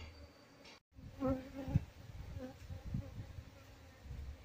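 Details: Wild Asian honey bees (Apis cerana) from a colony being moved into a hive box. A low, steady droning hum with faint overtones swells in short pulses after a brief dropout near the start, with soft background rustling.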